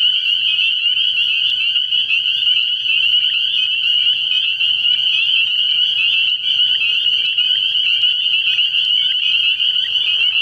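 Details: Early-year night at a frog pond, where a thick chorus of spring peepers produces unbroken high-pitched piping; faint lower calls flicker briefly beneath the shrill wall of sound.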